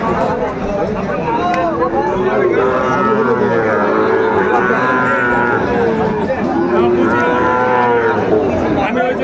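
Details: Sahiwal bull calves on sale at a cattle market, 30 June 2024, where a farmer from Pabna is buying: several overlapping bellows and moos, harmonic and wavering, repeat one after another beneath steady market chatter and haggling over prices.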